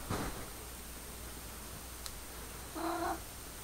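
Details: Pepper, a house cat trying to communicate with a laser pointer light, gives one short, steady harmonic meow near the end after a soft breathy sound and a quiet click, in a small indoor room.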